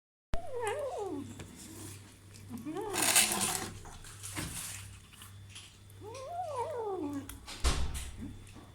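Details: Kitten eating meat for the first time, making wavering, mid-pitched growly meows in three drawn-out bursts with rising and falling tones, over a steady low electrical hum and a few sharp clicks.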